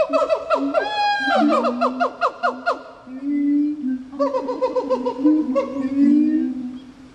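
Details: Gibbons calling at Japan Monkey Center in Japan, marking International Gibbon Day on October 24. A fast run of sharply rising whoops is followed by a pause, then a second bout of steady and wavering hoots.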